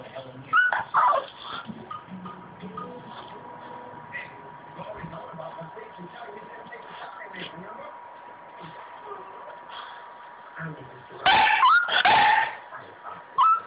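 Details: A Boston Terrier male whines for attention in short, high, wavering bursts while a woman asks what is the matter.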